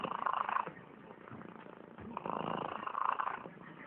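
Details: A sleeping cat snores in raspy, purring, rhythmic breaths that swell twice, strongest near the start and again in the second half, with no other clear sounds.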